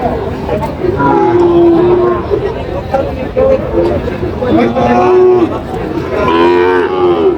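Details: Sahiwal cattle at a cattle market in Chandpur on 23 July 2025, where a farmer buys a bull calf: several drawn-out, mid-pitched moos with rich overtones, some wavering, over steady crowd chatter and voices.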